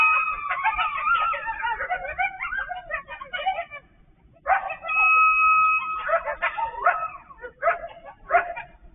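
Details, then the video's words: Coyotes, probably only a few yet sounding like hundreds, call on Thoroughbred Trail on 08/08/23: a frantic chorus of overlapping yips and wavering howls, a pause, then long steady howl notes among sharp yelps. "Coyote Cacophony"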